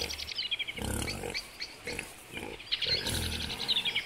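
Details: Young piglets and adult wild boar (Sus scrofa) in Białowieża Forest, Belarus, 4 March 2014: low, rough grunts from adults mixed with high, thin piglet squeals.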